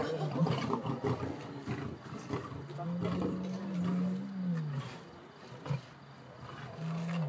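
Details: Lions feeding on a horse carcass at night at Lion Park, Gauteng, South Africa, in October 2013. A deep, drawn-out tonal moan rises and then falls over about two seconds, with shorter low calls before and after it and a faint rustling background.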